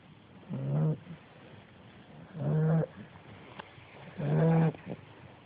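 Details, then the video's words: Calypso, a 10-week-old female American Bulldog puppy, snoring in her sleep: three low, rumbling snores with a buzzy harmonic edge, each lasting about half a second and spaced nearly two seconds apart, with quiet breathing between. "Calypso Snoring"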